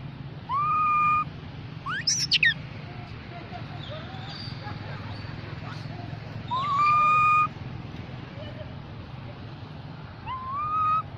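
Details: Young mona monkey calling out for its group: three drawn-out whistles that each rise briefly then hold level, widely spaced, plus a quick burst of chirpy notes early on, all over a steady low background hum.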